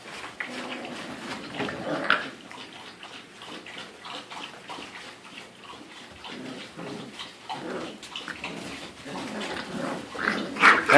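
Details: Five-week-old American Pit Bull Terrier puppies born January 30th 2014, indoors, giving short whines and yelps over splashing, water-like noise, ending as a person calls out "hey" repeatedly.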